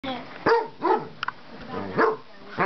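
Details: Basset hound trying to befriend a cat that usually hits him, giving short, sharp barks that fall in pitch, with two loud ones about a second and a half apart and softer whining sounds between them.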